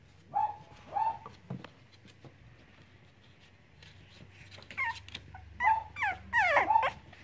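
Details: Cavalier King Charles Spaniel puppies playing, starting with two short whimpers, a quiet stretch, then a closer cluster of high yips and sliding whines toward the end.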